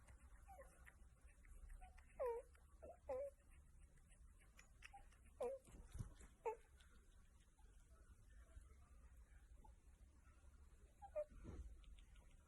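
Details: A meerkat gives short, bending squeaky chirps at irregular intervals in a quiet room while being scratched; Meerkat (Suricata suricatta), calls.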